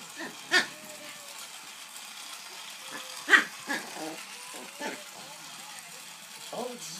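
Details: Rascal the dog, chasing and barking at a toy train: several short, sharp barks at irregular intervals, two of them louder, mixed with a person's talking.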